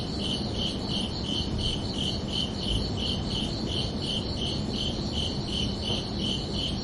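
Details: Crickets chirping under a night sky on a summer evening: steady, evenly spaced high chirps, about two or three each second, over a constant low rumbling background hiss.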